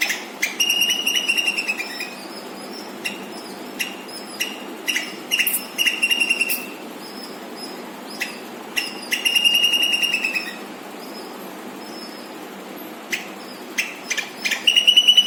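A squirrel gives loud, rapid bursts of sharp, rattling chirps, broken by short pauses.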